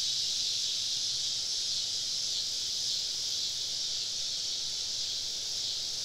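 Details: Cicadas in a summer evening chorus, recorded while camping deep in southern woods; a dense, steady high-pitched buzzing drone with a slight swell, many insects calling together with no other clear sounds.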